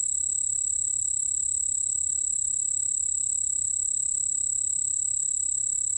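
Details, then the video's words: Continuous high-pitched ringing trill of a white-whiskered bell cricket, recorded in 2020 by the National Institute of Biological Resources, holding one steady shrill tone plus a quieter lower one with no pauses, faint low rumble behind. "흰수염방울벌레, 여러번 듣기, 곤충소리"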